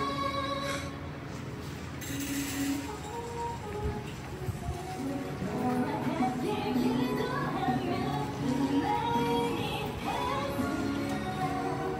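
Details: Background music with light singing and some speech in an indoor room, with no animal sound heard.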